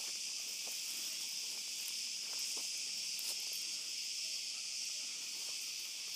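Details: Cicadas calling at night in an olive grove during a dog walk: a dense, steady high-pitched hiss that runs unbroken throughout, with faint scattered clicks and soft footsteps beneath.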